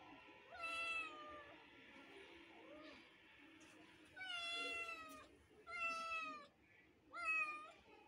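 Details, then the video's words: A neighbour kitten calling while other kittens watch: a loud meow, a softer lower mew, then three strong, high, tonal meows spaced about one and a half seconds apart in a quiet indoor setting. "kittens is watching surprisingly to neighbour kitten voice meow meow"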